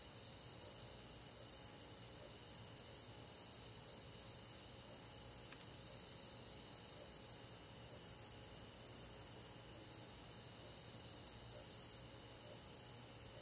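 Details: Crickets and other insects chirping in a forest on a summer night in the countryside: a steady, dense high-pitched chorus of pulsed trills repeating about three times per second, with a faint hiss beneath.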